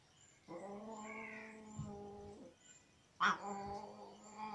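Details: Mother cat nursing her kittens, getting angry while they feed: a long harmonic-rich low wail held about two seconds, then a short sharp hiss-like burst with a rising cry.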